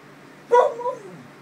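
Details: Female Clumber Spaniel, possibly commenting on her earlier bath, gives one short woo-woo: an abrupt yelping start followed by a brief wavering tone that drops away, in a quiet indoor setting.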